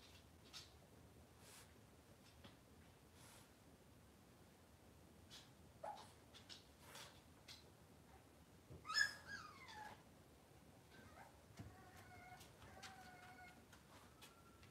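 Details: Cavalier King Charles Spaniel puppies indoors on a kitchen camera, cloudy Monday morning. Soft scattered taps, then a sharp high whining whimper near nine seconds, followed by thin, steady-pitched whines a few seconds later in a quiet room.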